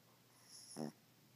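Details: A single short raspy snore from a sleeping Poodle named Haley indoors, one brief buzzy harmonic burst in a quiet room.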